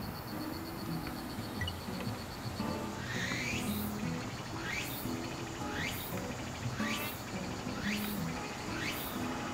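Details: Walker's cicada, a cicada of late summer and early autumn, singing a rhythmic series of rising, sweeping phrases repeated roughly once a second over a low background hum.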